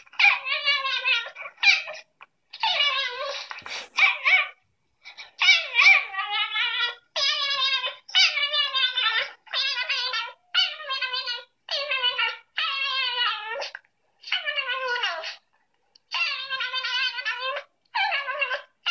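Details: Miniature Dachshund puppy indoors, watching videos of other puppies: high, harmonic whines and yelps in bursts about a second long, repeated almost continuously with short pauses, no other sounds.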